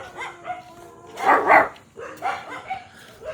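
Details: Provoked dogs in Rajshahi let out short, yelping barks and whines, peaking in a loud burst midway, mixed with human laughter.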